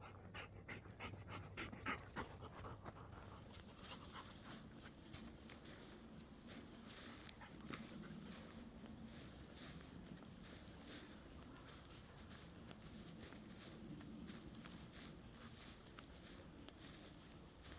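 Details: Labrador Retriever on a daily woodland walk in a forest; quick rhythmic panting, roughly three breaths a second, soft and breathy, with rustling and footstep noise mixed in.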